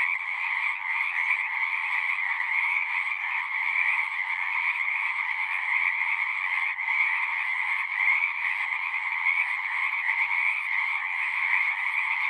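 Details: Chorus of frogs at a horse-pasture pond, recorded on a Zoom 6: many callers blend into a constant, droning wall of high trilling that holds steady without pause.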